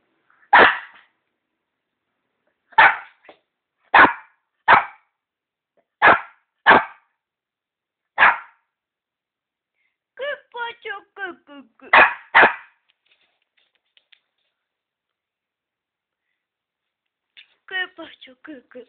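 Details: Shih Tzu dog playing with a ball, giving short sharp barks spaced one to two seconds apart, then a run of quick yips and squeaky whines, with a brief burst of squeaky yips near the end and silence between.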